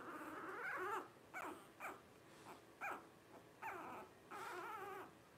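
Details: A litter of five blenheim Cavalier King Charles Spaniel pups, twelve days old, born around New Year 2023, gives long wavering whines broken by short nasal squeaks, the wailing rising and falling in pitch.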